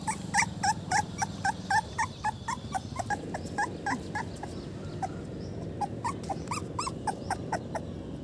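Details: Hungry little puppy crying for its mother, giving a steady run of short, thin whimpers repeated several times a second, a few louder squeals mixed in, with low rumbling background noise throughout.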